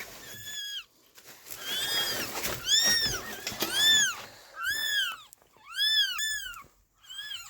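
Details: Stray kitten, abandoned in freezing -11°C snow for two days before rescue, calls with repeated high, arched mews, about six cries rising then falling, some short and some drawn out, with breathy rustling between them.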